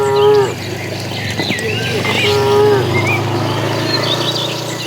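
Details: Crowd of cattle heading to green pasture: two short, somewhat muffled moos, the second longer, over a constant low rumble with bird twitters above.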